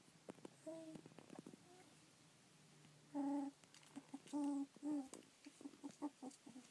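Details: Rough collie puppies at 25 days old, filmed 24 March 2013 after a 27 February birth, utter short tonal whines and squeaks, several louder clustered cries in the middle, amid soft rustles and clicks indoors.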